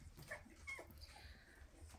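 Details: Indoors, 2.5-week-old Weimaraner puppies follow their mother, asking to nurse, giving thin, high-pitched whines with brief sliding squeaks over a low background murmur.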